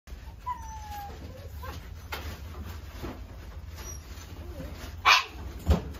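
A Shih Tzu gives faint whiny whimpers, then one sharp, high yip and a soft grunt.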